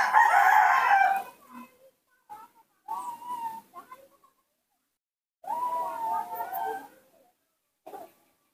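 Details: A baby monkey, hand-raised after rescue, gives loud, tonal, melodious, wavering cries in bursts, its call when its father is not nearby.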